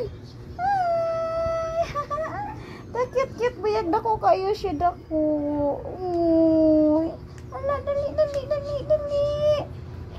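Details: Three cute kittens meow in long, even cries, one dropping lower in pitch, interrupted by a stretch of a person speaking in Cebuano.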